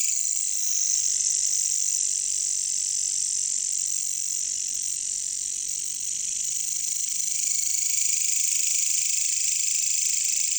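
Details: Katydids or bush crickets (caricangkas) in a jungle give an unbroken, intense high whirring trill at an even loudness throughout, with no other clear sounds.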